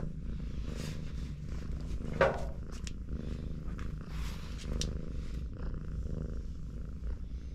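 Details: Mother cat and four kittens resting in a cuddle, one purring in a soft, continuous low rumble; scattered light clicks and a brief rustle just after two seconds.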